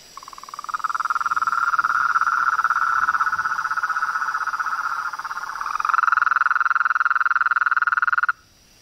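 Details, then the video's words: Nature chorus of frogs: a sustained rapid pulsing trill held at one mid pitch for about eight seconds, briefly overlapped by a second slightly higher trill near the end, then stopping abruptly over a faint high background hum. "Os sons dos sapos , rãs e perereca na Natureza"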